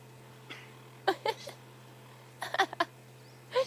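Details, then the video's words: At dawn in Kruger National Park, South Africa, an impala sneezes in quick, breathy bursts in twos and threes over a low engine hum, possibly from sticky signal grass seeds: Impala. "There is an impala in there with the sneezes."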